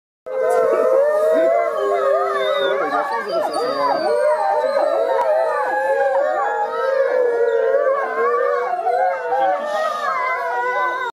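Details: Several Arctic wolves at a zoo howl together in response to children imitating their howls, giving a sustained chorus of overlapping, wavering tones.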